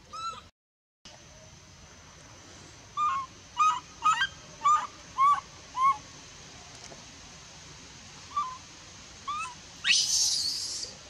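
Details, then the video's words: Young female monkey in the Bayon area, rejected from nursing by her mother, gives a run of six clear, plaintive cries, each bending up then down, a second apart. Two softer cries and a final shrill squeal follow. "Super sad baby monkey is crying when her mom is try pushing her out for reject milk"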